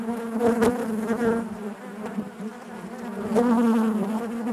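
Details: Inside a beehive, honey bees produce a loud continuous drone, fuller at the start and again in the final seconds, layered with wavering higher buzzes from bees flying near.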